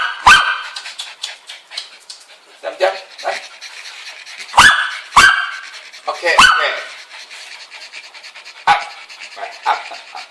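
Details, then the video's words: Bichon Frise dogs bark at birds in the game Angry Birds 2. A small dog gives sharp, high yaps, singly and in quick pairs a second or two apart, with quieter chatter and a person's voice behind. "Dogs like toys barking at birds"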